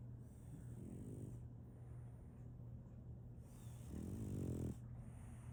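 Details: French Bulldog Solaimy asleep, giving a faint rasping snore early on and then one louder, rattling low snore near the end, with a steady hum throughout.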